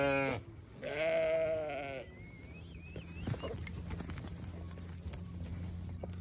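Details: Newborn baby sheep giving a brief cry, then one sustained, slightly wavering bleat of about a second, followed by a faint thin whistle and a low background hum.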